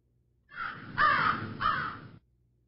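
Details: A small, feisty Maltese, possibly a Maltipoo, refusing to back down, gives a run of raspy, high-pitched barks that blur into one another.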